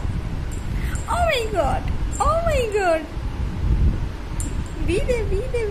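A Persian kitten gives several high, arching meows that rise then slide downward, over low background rumble.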